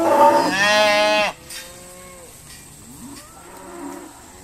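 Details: Irish Dexter cow being sorted at Stone Meadow Farm gives one loud harmonic bellow for about a second, followed by quieter, distant lowing from other cattle.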